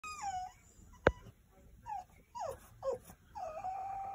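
A French Bulldog whimpers in a string of high, wavering whines that slide downward.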